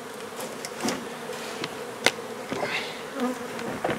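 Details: Honey bees from a nuisance hive being removed and relocated from an old home under renovation in Donna, Texas: a dense, steady swarm hum with scattered sharp clicks and knocks from the removal work.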